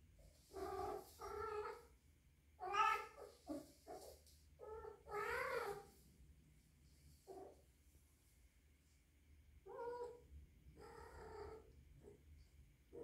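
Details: Young three-month-old rescued female kitten, kept indoors with adult cats, possibly in heat, gives drawn-out wavering yowls and meows in bursts of one to two seconds, some rising and falling, separated by short pauses in a quiet room.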